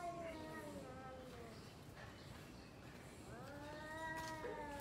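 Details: Two domestic cats yowling at each other before a fight: long drawn, wavering harmonic howls, one sliding down over the first seconds, another rising and held near the end, over steady background noise.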